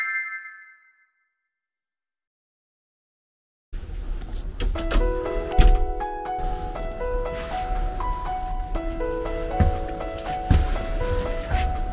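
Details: A brief chime fades into silence, then bright melodic music with bell-like notes and a deep bass beat plays on.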